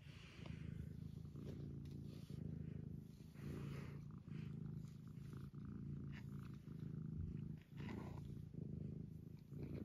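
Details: Sleepy domestic cat lying still indoors while coaxed to get up: continuous low, throbbing purr in even rhythmic pulses lasting throughout, with a faint steady background hum.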